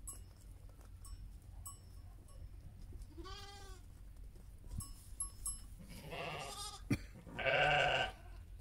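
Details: Heidschnucke sheep with their lambs: a quavering, mid-pitched bleat around the middle, then two louder, rough, broad bleats close together near the end, over a steady low rumble and faint ticking background noise.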